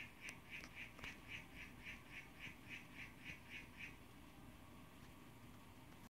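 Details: Young blue male harlequin poison frog (Oophaga histrionica) calling to a female, filmed zoomed in on a cell phone: about a dozen short, evenly spaced buzzy notes at roughly three per second, then the calling stops.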